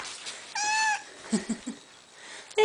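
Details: Completely blind four-month-old kitten playing indoors with two three-month-old rescued kitten friends; one clear, drawn-out tonal meow, then soft scuffling play sounds and the start of another meow, with a person talking nearby.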